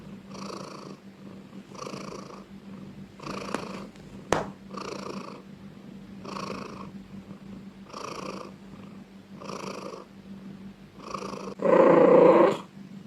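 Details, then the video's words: Domestic cat purring loudly, even rumbling pulses every second or so with a low steady hum underneath, ending in a short louder burst. "Cat sound part 3 || Cat purring loudly ||Suara kucing mendengkur"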